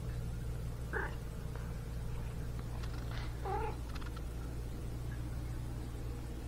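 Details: Chatty domestic cat vocalizing at home: two brief meows about two and a half seconds apart, the second a bent, wavering chirp, over a constant low electrical hum.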